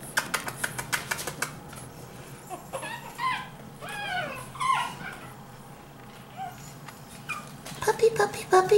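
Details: Five-week-old Pekingese puppies give high, arching whimpers and squeaks, with soft tapping and clicking sounds around them.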